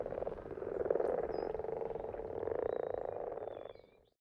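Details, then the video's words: A frog chorus in a happy place, a steady dense low croaking drone with rapid pulses, a few faint high thin calls above, fading out at the end. "In case you needed 2 minutes of Frogs in their happy place"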